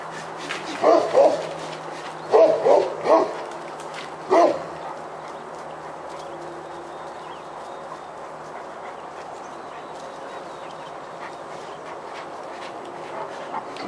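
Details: Great Pyrenees named Roxy, keeping a black bear treed beside a house, gives a few deep barks early on, single and paired, then falls quiet for the rest of the stretch.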